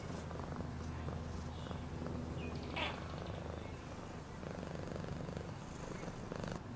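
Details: Low, steady purring from a domestic cat, a smooth pulsing drone with a short sharp rustle in the middle and light handling noise.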